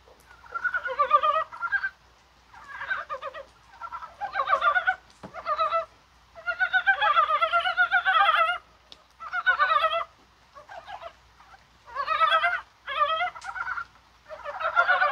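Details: Dybowski's brown frogs calling in rain on a spring-like January 21 day: overlapping bursts of rapid, rattling, clucking pulses, each lasting about one to two seconds, broken by short quiet gaps.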